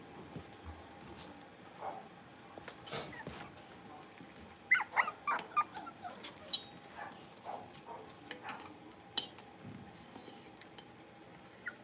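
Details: Five blenheim Cavalier King Charles Spaniel puppies, born on New Year's, playing together in an indoor puppy pen. A cluster of short, sharp yips and little barks comes in the middle, among clicks, scuffles and thumps of play.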